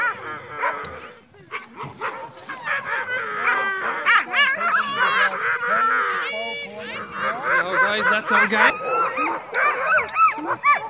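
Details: Night dogsled run with crossbred husky mixes in falling snow: a crowded chorus of excited yelps, whines and drawn-out rising cries from many dogs, the pitch swooping up and down, rarely pausing.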